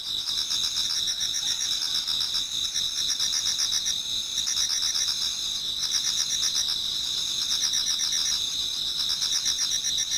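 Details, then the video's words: Dawn chorus of many autumn insects in a Japanese garden: piercing continuous high buzz plus rhythmic pulsed trills swelling in phrases every few seconds, nothing else audible. "Autumn Insects voice Towards dawn"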